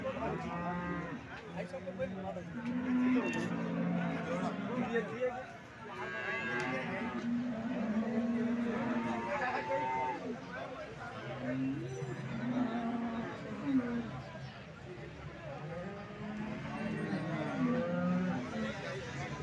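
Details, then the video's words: Cattle at the Alephata cow market, 21 March 2024, with about two hundred cows on sale: repeated long moos overlapping one another from several animals, some bending upward in pitch, amid continuous market chatter. "आळेफाटा गाय बाजार दिनांक 21 मार्च 2024 Live"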